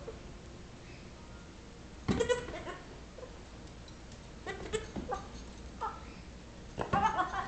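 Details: Six-week-old Nigerian Dwarf baby goat pestering a patient Yorkshire Terrier indoors; short quavering bleats break out at about two seconds and again near five and seven seconds, separated by quiet stretches with faint low background noise.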